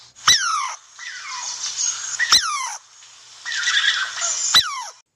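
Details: Squirrel calling to signal danger, aggression or social interaction: sharp chirps sweeping steeply down in pitch, repeated about every two seconds, with scratchy chattering noises between them.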